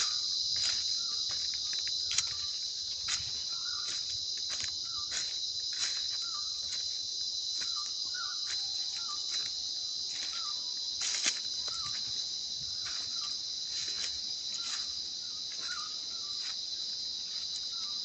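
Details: Insects in the Sinharaja rain forest, Sri Lanka, make a steady, high, shrill drone, with scattered clicks and faint chirps beneath it.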